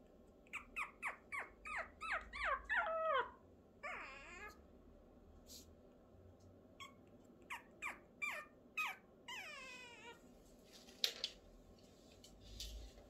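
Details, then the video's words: A Pomeranian puppy on its fifth day howls in thin, squeaky yelps that slide downward, broken by wavering, warbled notes. "새끼 포메라니안 하울링"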